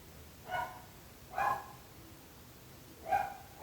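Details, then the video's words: Barking dog, one of the neighbours' dogs heard at length: three short harmonic barks, spaced about a second apart, over a quiet low background rumble. "26 minuts gossos lladrant / 26 minutes barking dogs"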